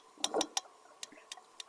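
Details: Sperm whale clicks: sharp, dry knocks like pebbles tapped underwater, repeated in a specific pattern; the clicks serve both to find squid at depth and to communicate, with family-specific dialects.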